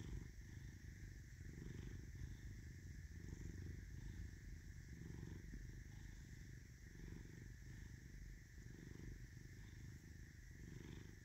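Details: Domestic cat Caesar, bearing an M on his forehead, purring: deep vibrating rumble repeating in rhythmic breath cycles, each lasting around a second, against a quiet steady background hum.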